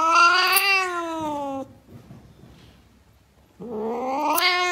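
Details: Domestic cat yowling twice, each a loud, drawn-out harmonic wail; the first slides gently downward, the second rises, separated by a two-second lull of faint background noise.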